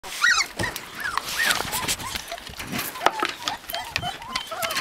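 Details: Husky puppies in Lapland, Finland, giving short high whines and yelps that arch up and down, scattered across the clip with clicks and shuffling between them.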